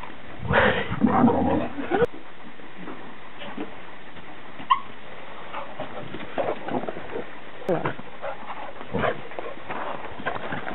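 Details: Jake, an American Bulldog, and Fae, a young Scottish Deerhound, meet for the first time. A rough, broadband growling burst comes early, then scattered short grunts and thumps, with people talking in the background.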